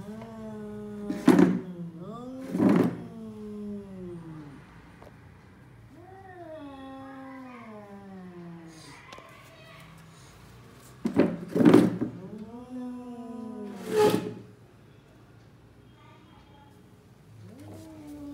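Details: Two cats, a tall cat and a lion cat, about to fight, held apart by a chair: long wavering low yowls rising and falling over several seconds, with sharp louder outbursts around them.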